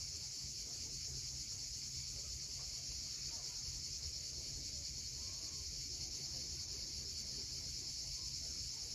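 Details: Cicadas calling at sunset on the steep coast at Cape Fiolent, Crimea: a dense, unbroken high-pitched shrill drone holding steady throughout, over a soft low rumble of waves.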